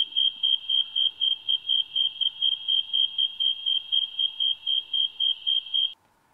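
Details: A snowy tree cricket, also called the thermometer cricket, chirps in hot weather: fast, pure, evenly spaced chirps, nearly four each second, a rate that tracks temperature.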